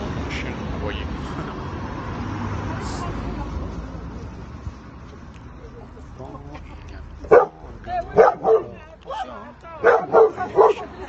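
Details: Domestic dog barking in the background during a talk about dog reactivity: after several seconds of steady noise, a run of sharp barks in quick succession fills the last four seconds.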